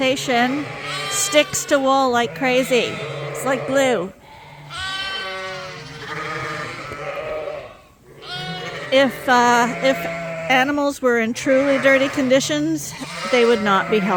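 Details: Mixed groups of Suffolk lambs racing around a barn at Ewetopia Farms after escaping through an open gate; dense overlapping bleats, many quavering, pile up in bursts with a brief quieter lull midway, possibly with voices among them.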